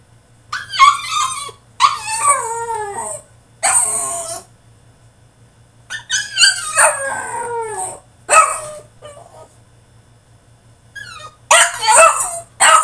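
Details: Caged French Bulldog in a tantrum, letting out repeated wavering howls and yelps in bursts of one to two seconds, some falling in pitch, separated by brief pauses, with a low constant hum underneath.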